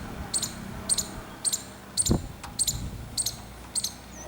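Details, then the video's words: Clicking alarm of a squirrel, short bright ticks, each a quick double note, spaced roughly every 0.6 seconds, with one soft low thump midway. "Squirrel clicking Alarm sound"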